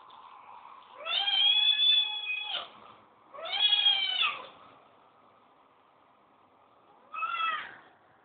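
A Siamese cat gives long, loud, drawn-out meows, two close together and a shorter one after a pause.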